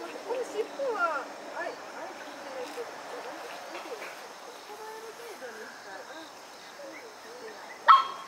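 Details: Whining from a litter of three white schnauzer puppies born 10 August: wavering squeaky whimpers, denser early and thinning later, then a sharp knock near the end.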